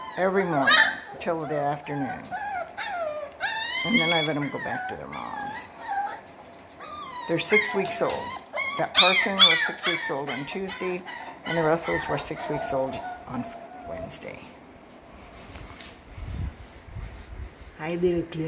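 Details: Six-week-old Parson Russell Terrier and Russell Terrier puppies at a kennel give high, wavering whines and rising squeals, some in quick bursts, mixed with a person talking nearby indoors.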